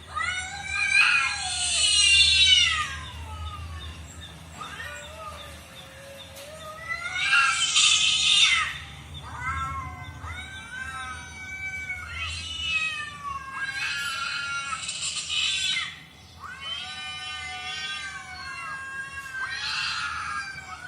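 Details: Cat meows heard while a cat watches cat videos: a series of drawn-out, wavering harmonic meows, several overlapping and rising then falling, coming in bursts every few seconds through the whole stretch.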